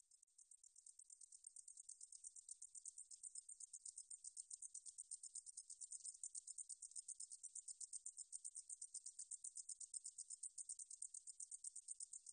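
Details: Katydid song from the National Institute of Biological Resources, 2020: a high, hissing buzz broken into rapid even pulses, about seven a second. It fades in at the start, then runs steadily with no other sounds.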